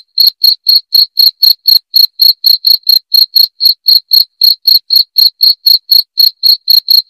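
A cricket gives clear, high, ringing chirps, about four each second in a steady run.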